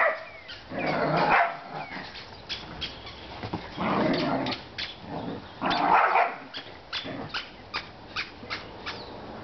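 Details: Pet whippets Chippy, Chase and Viola playing together outdoors; bursts of loud rough barks and play growls come in clusters around one, four and six seconds, with soft repeated chirping birds and clicks in the background.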